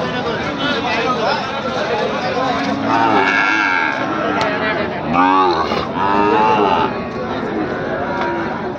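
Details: Bull calves of Gir and Sahiwal breeds at the Ambari cattle market; a drawn-out lowing moo near the middle, heard over dense crowd chatter and market noise.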